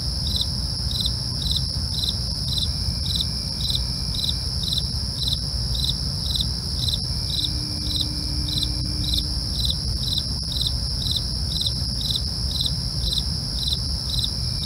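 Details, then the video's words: Night crickets chirp in quick, regular bursts about every 0.4 seconds over a continuous shrill trill, with a dull low-frequency hum underneath and a faint brief tone near the middle. "night crickets asmr"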